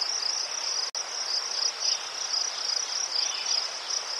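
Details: Ukrainian crickets among chrysanthemums chirp in quick repeated high pulses, roughly several bursts per second, with a brief dropout near the start before the steady chorus resumes.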